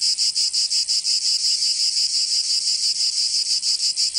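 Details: Summer cicada chorus from Provence in the south of France, a loud, shrill, sizzling drone beating in regular pulses roughly three per second, slightly blurred at times, over a quiet background.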